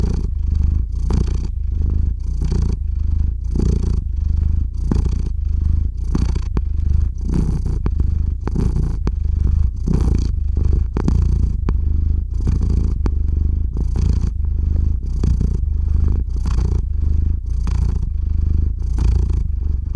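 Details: Theo, a pet cat, purrs as he drifts off to sleep, captured up close on a RODE NTG-3 shotgun mic and ZOOM H6; deep steady rumble with regular breathing pulses roughly every second throughout.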